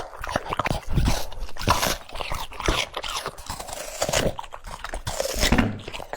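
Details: Crunching of cucumber by a French Bulldog, steady bursts of crisp bites and moist munching coming several times a second, pausing briefly around the middle before resuming, close and indoors.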